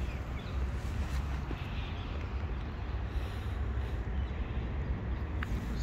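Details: A sweet homeless tabby cat living on the street purrs in a low, steady rumble with a rhythmic pulse, rising and easing in long cycles under soft outdoor background noise.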